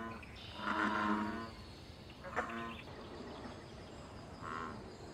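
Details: American bullfrog in wild pond water, calling amid mating and territorial behaviour: one long low droning croak, then a short sharp grunt and a brief later croak, faint bird notes behind.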